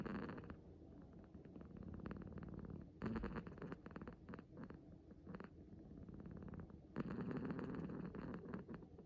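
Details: Six-month-old male kitten, born 9 August 2020, relaxed while sleeping or waking; a continuous low rumbling purr-like snore with rapid rough pulsing, louder and softer in stretches of a few seconds.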